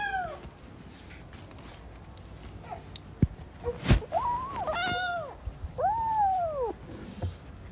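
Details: Playing newborn kittens: after quiet hiss and a few sharp taps, several soft arched meows come in the second half, one clearer drawn-out mew near the end.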